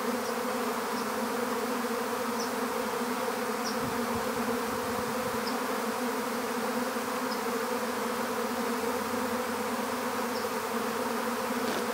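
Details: Honeybee swarm being captured into an empty hive: a dense, steady hum of many bees with strong bands near 250 and 500, unbroken for twelve seconds, with faint high ticks at intervals and a few soft low thumps.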